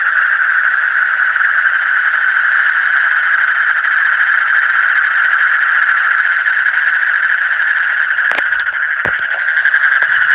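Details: In the deep night, many frogs call together in a continuous rattling trill of rapid pulses. Several sharp clicks or knocks break in near the end over the unchanging chorus.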